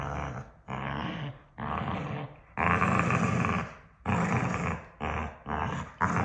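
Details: Two pet dogs acting like a married couple, arguing nose-to-nose with playful love bites; a run of rough, growly barks and yaps in bursts of about half a second to a second, separated by short pauses.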